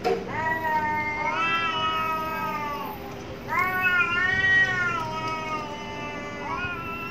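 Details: Angry cats fighting behind a home: long wavering yowls that rise and fall, several drawn-out wails overlapping across the clip, with a steady low hum underneath.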